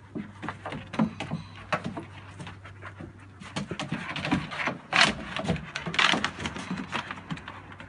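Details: Happy dog panting loudly in bursts of breathy huffs, with louder snorting exhales near the end and a low steady hum underneath.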